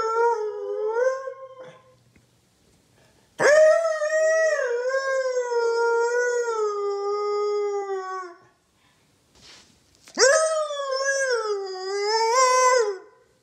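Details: Morning howling duet between Loki the Siberian Husky and his owner: a short wavering howl fades, then after a pause a long sustained howl slowly falling in pitch, and a third wobbling howl that rises and dips.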